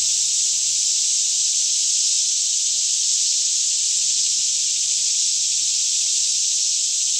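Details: Daytime chorus of many cicadas singing all around in a lush green Kentucky forest near Franklin, about 10am in fairly still air, filmed on a Canon 5D Mk2: a dense, unbroken high-pitched buzzing hiss with no pauses, faint low hum beneath.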